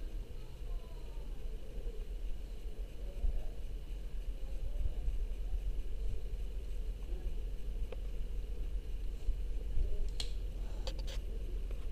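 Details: Low background rumble with a few faint clicks and knocks, and no clear animal voice. A steady low hum fills the recording throughout.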